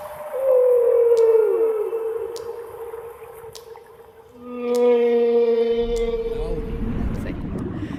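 A whale gives long, steady tonal moans, one sliding slightly downward, with faint clicks behind.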